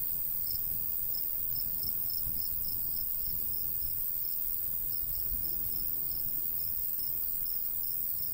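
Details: Crickets chirping in summer countryside by a golden wheat field, short high pulses repeated steadily about every half second over a low rumble of light breeze.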